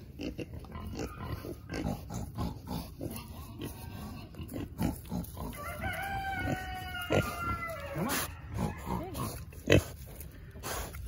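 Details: Berkshire piglets being hand fed: short scattered rustles and crunching sounds, then a drawn-out harmonic squeal that slides downward midway, followed by sharper brief squeaks and a loud snap near the end.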